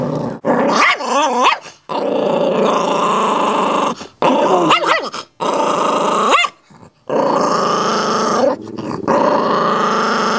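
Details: Chihuahua mix refusing to give up a bone, loves to act tough; long continuous snarling growls punctuated by wavering rising yelps and brief pauses.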